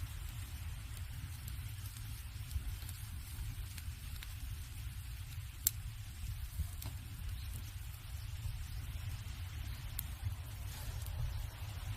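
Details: Crackling firewood with scattered sharp snaps over a steady low rumble; no animal voice stands out.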